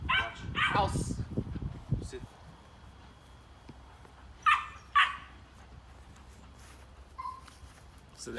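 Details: Domestic dog trained to bark on command through sound stimulation, giving two short, sharp barks about half a second apart after a man speaks, with low room noise around them.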